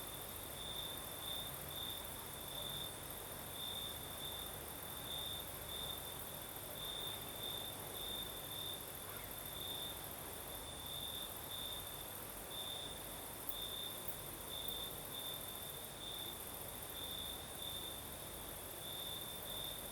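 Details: Crickets chorus at night in southern Crimea under a night breeze: a sustained high chirring line broken into quick rhythmic pulses, steady for twenty seconds, over a wide hissing wind bed and a thin ultra-high insect drone.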